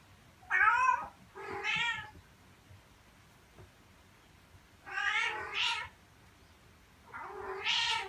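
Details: Domestic cat meowing, one of a set of meows meant to lure cats. Four wavering meows come in two pairs, roughly four seconds apart, each rising then dropping, against a quiet indoor background.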